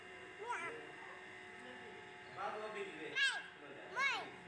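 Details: Young tortoiseshell kitten, described as a female a couple of weeks old, alone and frightened, hiding in a concrete pipe in a scrubby paddock: four arching, high-pitched mews spaced irregularly over a steady low hum.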